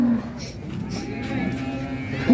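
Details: Raging cattle in an Indonesian farm compilation: brief low moo fragments at the very start and end, separated by a quieter stretch of murmuring background noise.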